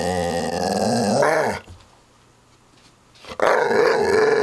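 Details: Redbull the dog growling indoors: one drawn-out rumbling growl that rises and fades, a short quiet pause, then a second strong growl starting up again.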